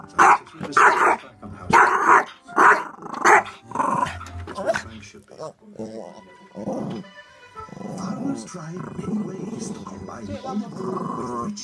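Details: Small Yorkshire Terrier yapping at a DVD player indoors: a quick run of about six shrill barks, then quieter mixed sounds and voice-like murmuring from the room.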